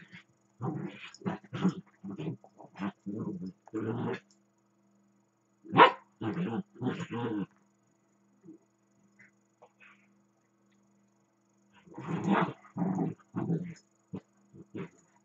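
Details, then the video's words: Two Dachshunds play, one running around the other as it lies still, giving rough, throaty growls, barks and grumbles. "dachshunds or gremlins? playing"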